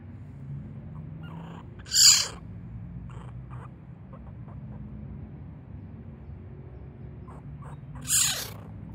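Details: Young martens: two loud, harsh, hissing screeches roughly six seconds apart, each about half a second long, over a quiet background with faint low hum.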